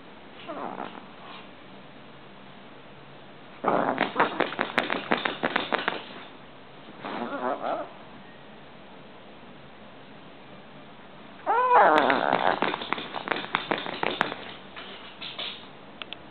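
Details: Female Shih Tzu at home waking her owner in the morning, as she does every morning; bursts of rapid whiny, yipping calls in three clusters around 4 to 6, 7 to 8 and 12 to 14 seconds, with quiet gaps between.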